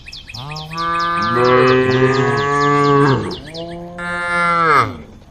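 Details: ['Female cows in a group on the road calling the herd, with overlapping moos from more than one animal in a long, rising-and-falling stretch, then another moo, amid rapid bird chirping.']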